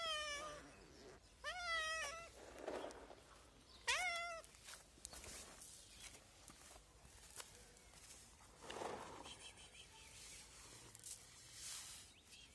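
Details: Street cat calling out from hunger: three loud, tonal meows in the first four seconds, the opening one bending downward, followed by quieter rustling and faint outdoor noise with no further clear calls.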